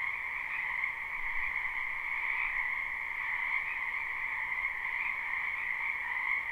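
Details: A large group of frogs calling in a spring wetland, recorded live with no looping: steady high-pitched trilling chorus, layered and unceasing, gently rising and falling in loudness.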